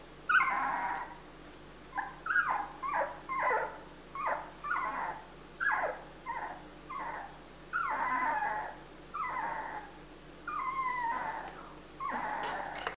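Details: Female Siberian Husky puppy born 31 December 2016, kept at a kennel, whimpering in a steady series of short, falling whines, roughly one per second, quieter and breathier against faint background hiss.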